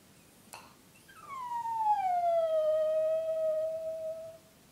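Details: A single long, gentle howl from Eva, a female Brussels Griffon. It slides down from a higher starting pitch into a steady, clear tone held for about three seconds before ending. The background is otherwise quiet.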